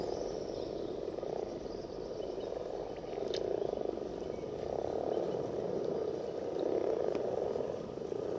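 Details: A chorus of common frogs (Rana temporaria) during mass breeding gives a soft, continuous purring croak that swells and fades in waves.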